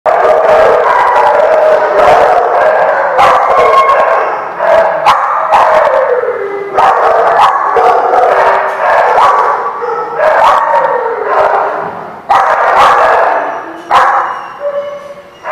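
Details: Dogs giving continuous overlapping howling and whining, with wavering, gliding tones, broken by repeated sharp bark-like bursts throughout; several voices appear to overlap, loud and close.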